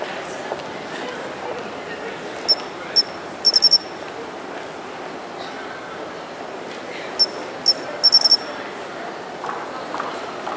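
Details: Japanese pine cricket singing from an urban shrubbery bed in early autumn: clear, high, pure chirps, single notes followed by a quick run of three or four ringing notes, the phrase given twice over steady city hum.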